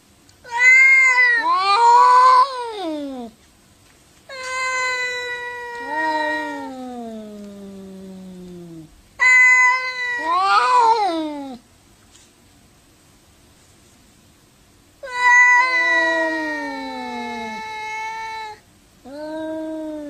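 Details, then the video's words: Angry domestic cat during a fight, giving long drawn-out yowls that swoop upward then slide down, four main wailing bouts separated by silent gaps in a quiet indoor setting. "FUNNY CRAZY CAT SAY WOW 2015 2016 fighting angry boxing"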